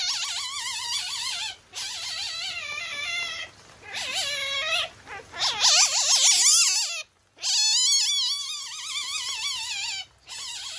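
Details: Irritated masked palm civet named Haku-chan, kept at Kusatsu Nettaiken zoo in Kusatsu Onsen, gives repeated shrill trilling calls with fast vibrato, in long bursts broken by short silences.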